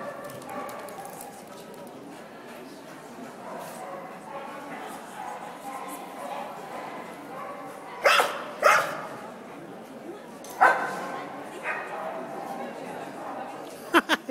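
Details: Dog barking in scattered sharp bursts: a pair of loud barks, then single barks spaced a second or two apart, and a final quick double bark, over a steady background of indoor chatter and voices.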